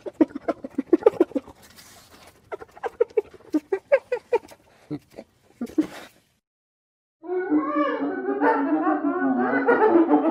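A hyena giggles in quick, pitched, staccato bursts, several each second.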